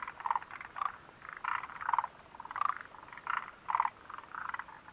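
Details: Frogs at the Mitsuishi refuge hut, recorded 29 June 2013: loud, evenly spaced pulsed croaks about every half second, each a short buzzy rattle with a brighter note, fainter frogs calling behind.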